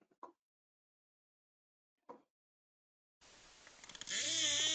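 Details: Endangered Cook Inlet beluga whales off Alaska give brief squeaky calls, buzzes, then a hiss-backed run of wavering, harmonic whistles.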